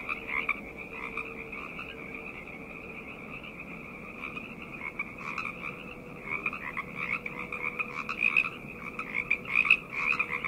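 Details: Chorus of frogs at night, starting as a softer, even buzzing trill and growing livelier after six seconds, with louder individual croaks breaking through near the end over the continuous background calling.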